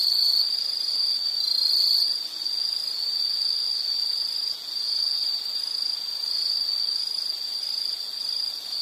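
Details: High, continuous insect trill offered as a relaxing nature sound, with slight swells and a brief dip in loudness and a faint, very high tone running alongside.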